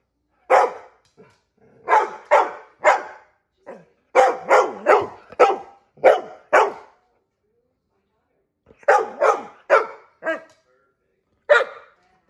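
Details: Treat-seeking female dog barks in three volleys of quick, loud woofs, the middle run the longest, with a quiet gap of about two seconds before a final single bark.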